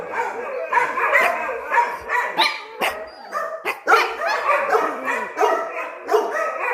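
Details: Dogs on high alert during a countryside getaway, giving a continuous run of overlapping harmonic barks and yelps with little pause. The calls are mid-pitched and ragged, rising and falling every half second or so.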